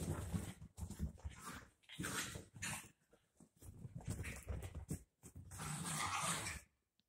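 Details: After their baths, two dachshund puppies romp, growling low and gruffly in choppy bursts separated by short quiet gaps, ending with a longer sustained rumble.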